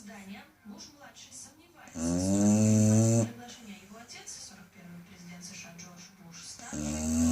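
A Chow Chow snores loudly, with deep rumbling breaths between stretches of soft human talking.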